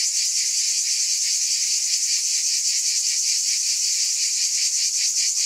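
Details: Cicadas in a dense, continuous high-pitched buzzing chorus with a shimmering, finely pulsing texture, steady in loudness throughout, with no other sounds.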